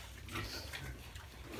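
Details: Piglets kept with the mother sow until sold at 38 days of age give rough, noisy grunting bursts against a constant low background rumble.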